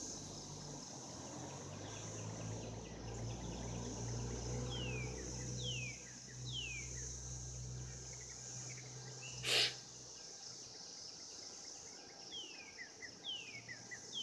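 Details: Cicadas calling during mating in 2016: a steady high, hissing buzz runs unbroken through the whole stretch, while downward-sliding bird chirps come and go, low rumbling sits beneath, and one sharp loud click breaks in midway.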